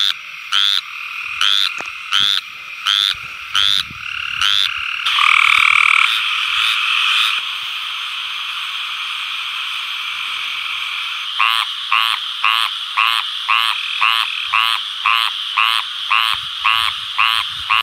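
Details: Male tree frogs calling loudly at night in mating season, often during or after springtime rain, to attract females: loud, high, rapidly repeated nasal croaks.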